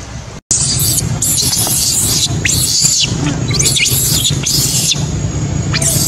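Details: Abandoned baby macaque crying heartbreakingly, left by its mother: loud, harsh, high-pitched screams in quick succession, each a broad noisy burst, some sweeping downward, with a steady low hum underneath.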